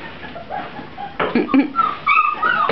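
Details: Seven-week-old puppies in their indoor pen; after a quiet start, thin high whines rise and waver in short bursts during the second half, with faint room noise.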